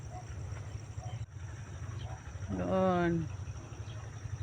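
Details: Goat herded out to graze on land beside cultivated farmland: one wavering, quavering bleat lasting under a second, rising out of a steady low rumbling hum and outdoor rural background noise.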